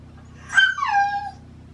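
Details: Shiba Inu Baku, in autumn mating season, crying out early in the morning to demand a walk: a sharp high onset sliding down into a wavering whine, over a low steady hum.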